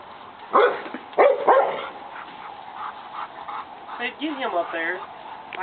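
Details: Pet dog named Austin attacking a lawn mower: two sharp, loud barks near the start, followed by quieter rustling and a person talking with rising, wavering voice toward the end.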